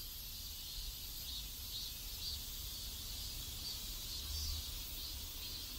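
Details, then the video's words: Cicadas in a neighborhood in South Korea: a steady high, hissing buzz with faint swells, over a low background rumble. "ASMR South Korean Neighborhood Sounds Cicadas"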